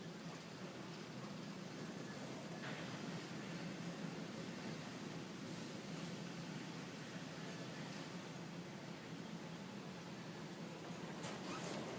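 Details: Strong storm wind roars steadily throughout, a broad rushing noise with a few faint higher hisses and no animal voice.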